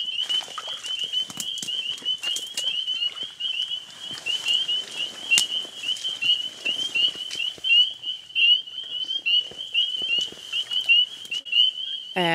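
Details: A chorus of spring peepers, tiny frogs about two centimetres long, calls after dark in a marsh at Queen's Biological Station, with high, piercing peeps overlapping continuously from many frogs.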